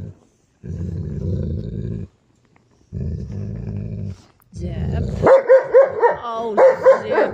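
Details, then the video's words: Giant Schnauzer growling territorially over a bed indoors: three long, low rumbling growls about 1.5 seconds each with short gaps, then sharp higher barks and snarls, with a person speaking. "Giant Schnauzer So Scary being territorial of MY bed!"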